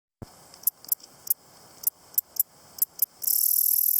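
A grasshopper gives sharp, dry ticks at uneven intervals, then breaks into a continuous high hiss.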